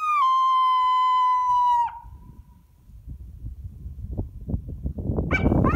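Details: Coyote. A coyote lets out a sustained, clear howl held at one pitch for nearly two seconds before cutting off. Shuffling background noise follows, and a brief rising yip starts near the end.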